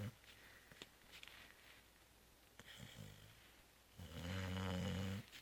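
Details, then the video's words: Zoé the cat, knocked out after the Christmas Eve feast and holiday brunch, gives a faint wheezy breath before one loud, rasping snore near the end, recorded indoors in a quiet room. "Zoé ronfle 2"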